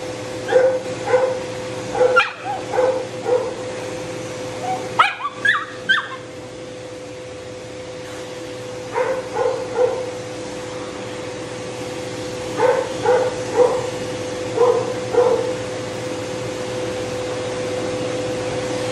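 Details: Matted Shih Tzu with no tolerance for discomfort, biting from pain while being dried. Clusters of short, quick yelping barks come in bursts over the steady drone of a running dryer.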